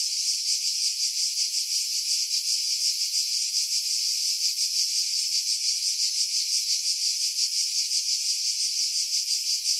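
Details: Pine-tree cicadas on Skiros Island, Greece, in July 2018, about 50 m above Pefkos Bay, recorded with a Sony RX3 and external mic: unbroken high buzzing chorus pulsing rapidly and regularly, wind buffeting edited out.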